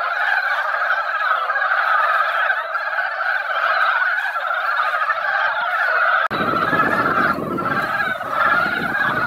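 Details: Mountain frogs gathered at a quiet mountain-valley pond after a light rain that only dampened the ground, in their yearly spawning season. A dense, continuous chorus of overlapping clucking croaks fills the pond. Low rumbling noise enters abruptly near the end.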